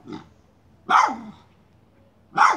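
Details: Miniature schnauzer barking while hunting a chipmunk near a pipe it moves: a short, softer bark, then two loud, sharp, harsh barks about 1.5 seconds apart.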